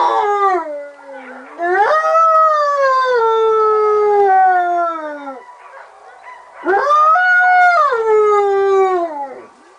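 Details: A sled dog at a mushing school in Fusine in Valromana, Tarvisio, Italy, in winter 2011/2012, howls its "wolf song" in long, mournful tones that slide downward, pausing between drawn-out notes.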